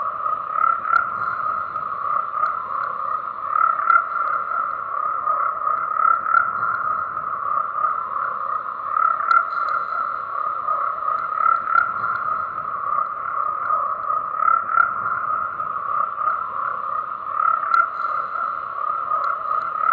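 A dense tree frog chorus, a steady throbbing drone of overlapping croaks with no pauses.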